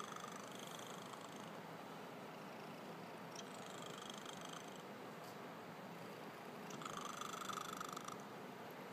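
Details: Cat asleep and snoring, a gentle unbroken rumbling texture with a few airy breath swells spaced several seconds apart, no other sounds nearby.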